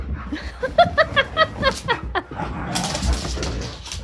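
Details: Siberian Husky indoors during zoomies, with several dogs romping wildly around the house. About seven short, harmonic woo-like yelps come in quick succession, rising and falling. Scuffling and thumping noise follows, with people talking and laughing.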